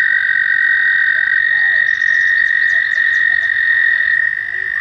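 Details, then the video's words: American toads calling at a shallow pond near a bridge in a nature center on a warm May day during mating season; a steady, unbroken high trill runs throughout, with faint chirps and clicks above it. "Toads Looking for Love"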